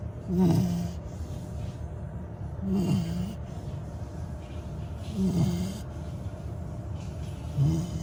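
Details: Sleeping Labrador retriever puppy, just over 100 days old, snoring indoors: low, rumbling snores with a soft rising-falling tone, repeated roughly every two and a half seconds, four snores in all, over a steady quiet background hiss.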